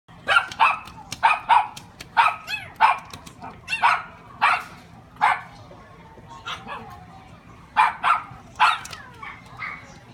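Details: Small female-looking Papillon puppy filmed in Japan in June 2018, giving sharp high yipping barks in quick bursts, about a dozen spread over ten seconds with short pauses, some faint background voices.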